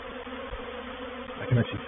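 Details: Honey bees of a reproductive swarm moving into a bait hive, or swarm trap, at Painted Peacock Manor on 04/07/21: a steady low hum with a couple of harmonic bands, plus a brief louder buzzing pass near the end.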